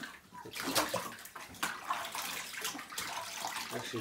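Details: Running and splashing bathwater with voices talking throughout, and no animal call stands out.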